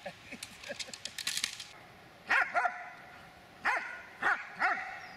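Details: Dobermann of eight years six months at attack training on command: rustling and thuds at first, then five loud, ringing barks spaced roughly half a second to a second apart.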